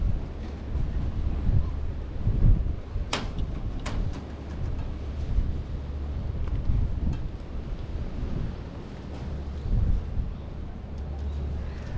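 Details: Outdoor wind buffeting the microphone with low rumble and a few sharp clicks, and no animal voice.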